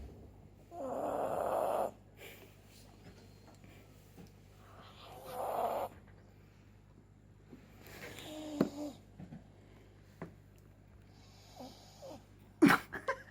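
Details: Sleeping dog snoring indoors: two long rasping snores about four seconds apart, then softer snuffles and breathy snorts, ending with a sharp snort, over a low steady hum.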